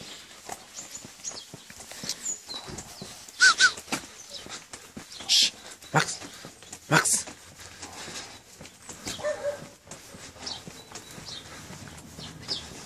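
An Alaskan Malamute gives several short, loud, rough barks spaced a second or two apart.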